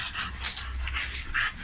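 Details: Kennel dogs in Romania, big breeds, giving short, mid-pitched yelping barks in quick succession, roughly four or five bursts across the stretch, over steady low-frequency noise.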